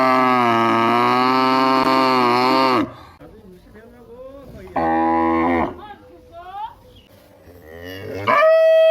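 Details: Cows moo in a village: a long, level, harmonic moo of nearly three seconds, then a shorter one, with faint chirping and other soft sounds between them and a final rising call.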